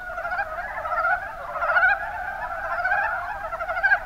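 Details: Mountain brown frogs (Rana ornativentris) in the Kuma Basin, Kumamoto Prefecture, Japan: a dense chorus of overlapping, rapidly pulsed chuckling croaks forming an unbroken mid-pitched band, with slightly louder bursts near the middle.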